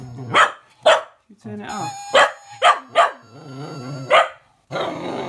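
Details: A female Cocker Spaniel puppy gives sharp, high, irregular barks and grumbles at a Gizmo toy whose thin whistling tones, sounding between the barks, drive her mad.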